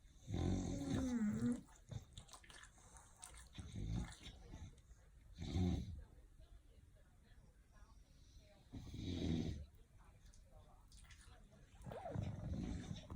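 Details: Snoring from English Bulldogs named Papa Hen, Opie and Lilly: irregular short grunting, rumbling breaths in bursts, broken by quieter gaps with faint background noise.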